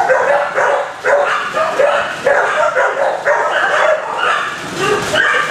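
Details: Dogs in kennels bark in a loud, overlapping din, bursts of harsh barks arriving roughly twice a second and blurring together in a reverberant room.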